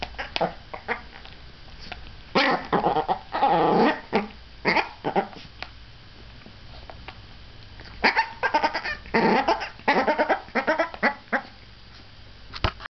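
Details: Household dog Princess, noted for barking at everything, lets out two clusters of busy, choppy barks and yips, the first near the start and the second after a quieter middle stretch.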